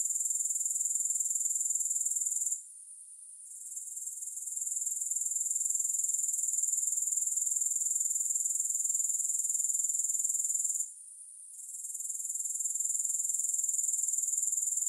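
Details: Steady, piercing insect buzzing from grasshoppers, long sustained bursts separated by two brief drop-outs of under a second, the sizzle fading back in after each gap; no background noise.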